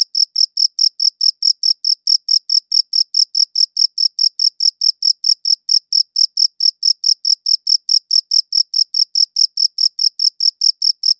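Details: Steady cricket chirping, recorded on a quality audio recorder: a long, even train of about forty-five sharp, high chirps, roughly four per second, with silent gaps and no other sounds.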